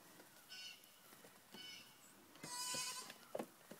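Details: Young goat kids three weeks old give short, high, thin bleats at about half a second and one and a half seconds, then a louder quavering bleat near the end, amid faint rustling.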